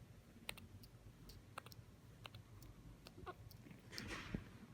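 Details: Scaramouche, an orphan female grey-headed flying fox baby found hanging alone low in a suburban garden, now in specialist care, hiccuping: sharp clicky ticks spaced irregularly, roughly every half second, with a soft rustle near the end.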